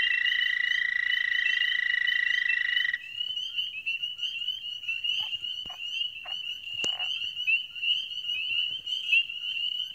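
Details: Chorusing male Dwarf American toads at a small breeding pond in spring give long, steady, high musical advertisement trills, one loud caller over a chorus of others.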